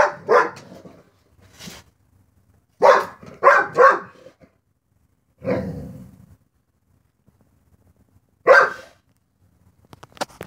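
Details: Barking at a cat outside, a dog fires off bursts of short, rough barks: a quick double at the start, a rapid cluster of three, then single barks after longer pauses, ending with faint clicks.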